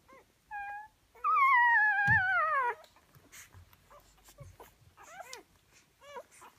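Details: Rhodesian Ridgeback puppies, four days old, born on Easter Sunday, 5 April 2015, nursing at their mother indoors; a thin squeal, then a long, loud whine that slides downward, followed by softer wavering squeaks and faint rustling.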